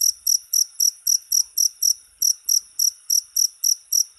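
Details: A cricket calls with regular, piercing high chirps, about fifteen short pulsed bursts in four seconds, steady in loudness, with only faint low background rumble.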